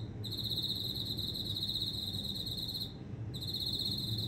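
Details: Insect calling loudly from houseplants kept indoors at home: a steady, high, buzzy trill that pauses briefly near three seconds and then resumes, over a low background hum.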